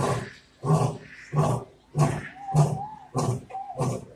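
A lion's roar bout comes as a run of deep, coarse grunts, evenly paced about every two-thirds of a second. Each grunt is heavy and throaty, with a faint higher whine drifting between them.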